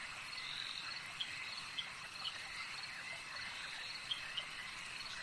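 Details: Frogs calling at a lake: short, bright, high peeps scattered irregularly, several per second at times, over a dense steady buzzing insect-like drone. There are no other clear sounds.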